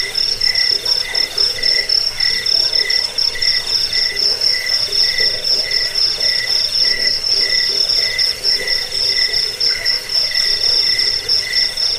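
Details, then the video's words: Cricket chirping, a recording offered to drive away rats, lull listeners to sleep and train songbirds; several overlapping high, pulsed chirp trains run steadily throughout, one sharp upper band clearly dominant over softer lower ones. "Suara jangkik pengusir tikus pengantar tidur"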